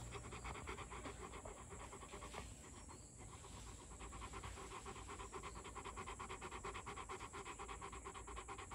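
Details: Panting from a male pet Rottweiler aged two: quick breathy puffs around three per second, a short break near the start, then steady continuous panting.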